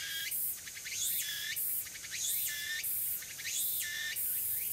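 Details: On Tanegashima in Japan, a tsukutsuku-boshi cicada sings on an early autumn afternoon in September 2022, loud and close; pulsed rasping phrases climb upward and alternate with sustained shrill bursts, recurring about every second.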